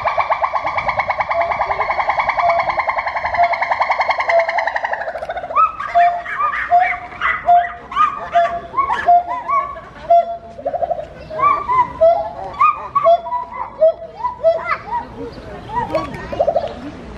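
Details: Two gibbons at Novosibirsk Zoo sing on 2 July 2020, a rapid run of loud hooting notes followed by a series of rising whoops.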